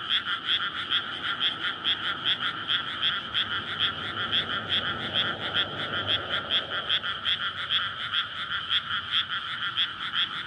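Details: Nighttime frog chorus in a flooded paddy before rice planting in May, Japan, courtship calling after winter underground; rhythmic bright croaking pulses repeating quickly, with a passing vehicle's broad low rumble rising midway.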